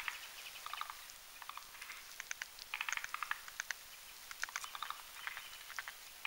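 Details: Several forest green tree frogs, males and females, croak together at night while making a spawning foam nest on a branch above a marshy mountain pond; dense overlapping clicky, pulsed croaks in rapid, irregular succession.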